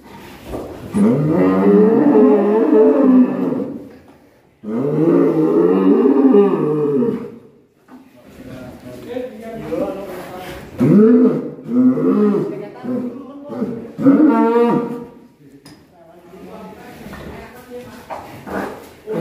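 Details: Black bull from Alas Purwo village, raging and butting: two long, low harmonic moos, each about three seconds, then excited Indonesian voices calling warnings.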